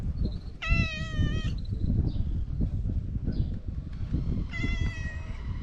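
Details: Talkative stray cat meowing outdoors: two loud, drawn-out, level meows a few seconds apart, with softer squeaky sounds between and constant low rumbling background noise.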